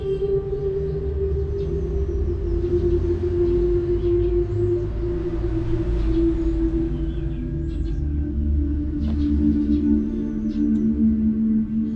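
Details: A steady low hum with sustained ringing tones, like ambient music or a singing bowl, and no animal voice.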